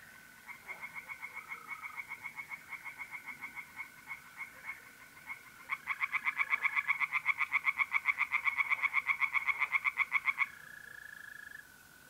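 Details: Tree frogs calling from a pond on an April night in north-east Italy: rapid, evenly pulsed croaks at about four per second, loudening halfway through, over the steady high trill of mole crickets.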